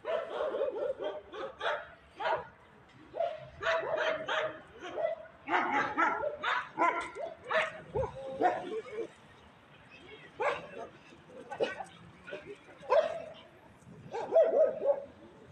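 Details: A live dog barks at street cats, scaring them: clusters of short, harmonic barks come in bursts of several, with brief pauses between groups, over a quiet background.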